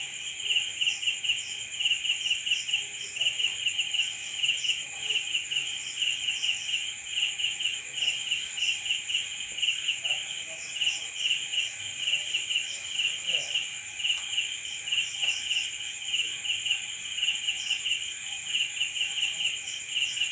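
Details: Crickets calling at night, a long unbroken high chorus of rhythmic pulsed chirps, several per second, layered over a continuous ringing hum, with faint soft knocks and rustles in the background.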